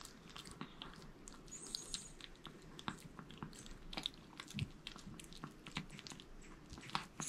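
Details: Male Maltese named Jamong, born 2015 in Gwangju, devouring a whole sweet potato indoors: steady wet chewing and small crunchy bites, repeated every fraction of a second, against a low room hum.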